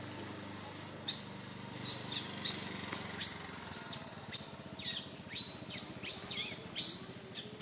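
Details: Little monkey Santo, a baby, cries so loudly on a tree branch that mother monkey Sara can't take care of him; high, arching squeals repeat almost without pause, each rising and falling, over a low steady hum.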